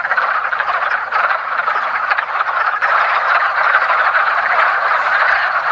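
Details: Wood frogs, Rana sylvatica, calling during their annual early spring mating ritual in a woodland pond; a loud, dense chorus of gravelly clucking croaks that swells slightly toward the end.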